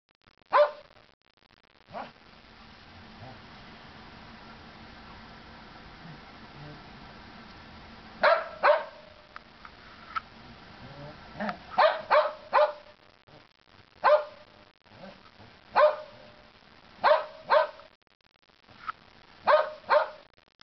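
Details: Chihuahua and Norwegian Elkhound at play in the snow during the Big Freeze of 2010; loud clipped barks in irregular clusters of two or three across twenty seconds, quiet gaps between.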